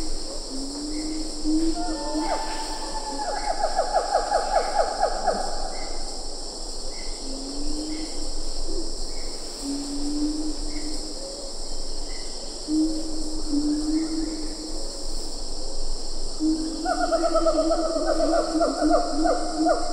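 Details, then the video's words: Siamang calling at medium-close range in Ketambe Forest, with a few lar gibbons in the background: bursts of rapid, falling hooting notes, scattered lower hoots between them, and a steady high insect hum throughout. "Siamang Gibbon. MCU Calls. A Few Lar Gibbons In B/G."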